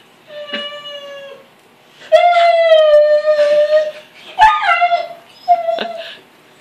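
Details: Rhodesian Ridgeback at a gate whining for attention during dinner; a soft tonal whine, then a loud, sustained steady whine, followed by shorter wavering whines with rough breathy edges.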